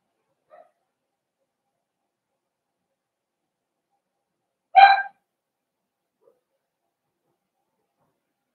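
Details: Four-week-old Cavalier King Charles Spaniel puppies in an indoor pen with older dogs; one brief, harsh yelp in the middle of long quiet, with a tiny faint squeak near the start.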